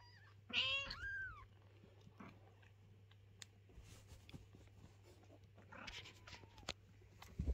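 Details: Mother cat carrying kittens away and guarding their little house from cleaning; one loud, harsh, arched meow early on, then quiet clicks and shuffling, and a faint, drawn-out meow near the end.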